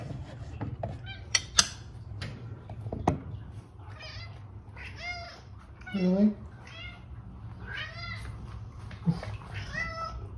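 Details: Female pet cat meowing for food indoors, a series of short harmonic meows with rising-falling arches, some clicks and handling noises early on, and a low background hum in a small room.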